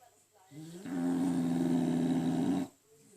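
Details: French Bulldog snoring, one long loud droning snore with a buzzy, tonal, vibrating quality, held for nearly two seconds before stopping abruptly into quiet.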